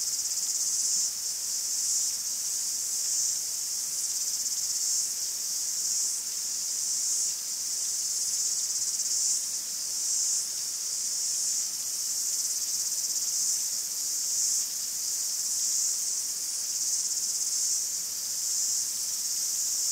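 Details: Chorus of cicadas in a Greek forest, a steady shrill buzz held throughout with soft rhythmic pulsing in loudness, rising and falling slightly; nothing else audible.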